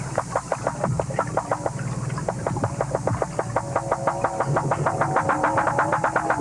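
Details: Walrus, a vocal-learning species with a lekking mating system, sings: rapid trains of sharp knocking pulses, about two per second, with faint bell-like ringing tones over a low hum.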